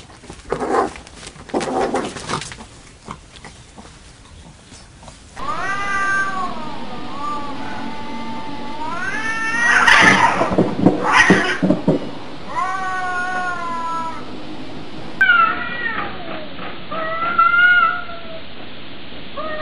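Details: Domestic cats from a funny cat compilation: after a noisy, clattering opening, a run of drawn-out harmonic meows that rise and fall, some wavering and whiny, across several cut-together scenes, with a louder burst of mixed sound midway.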